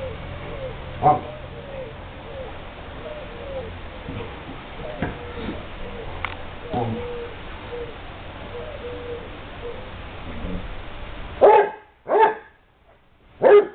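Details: Basset hound at play in a kennel: a long stretch of low background noise with faint tones, then three loud, abrupt barks in quick succession near the end.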